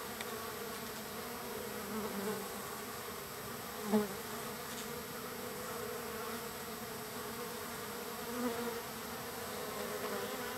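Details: Numerous wild bees at a feeding spot on the third day, with a continuous low droning hum interrupted by one short sharp tap near the middle and a faint bump later.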